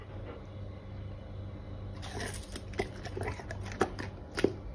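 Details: A Golden Retriever eating a pear chews noisily, with wet, crunchy bites coming in irregular bursts.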